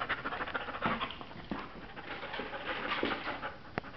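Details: Lilly, a female Border Collie signed over by her owners and awaiting adoption at a shelter, pants in soft, breathy, noisy bursts that repeat unevenly, with a few sharp clicks and taps near the end.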